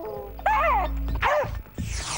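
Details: Beagle giving two short arching, wavering howl notes with rich overtones, separated by a pause, over a low hum, with a burst of noise near the end.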